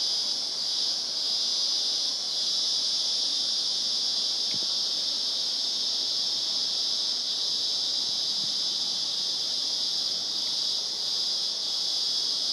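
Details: Cicadas in Glenbrook, Blue Mountains National Park, recorded 30 March 2014: a steady, unbroken high-pitched shrill drone that never pauses, with a faint click partway through.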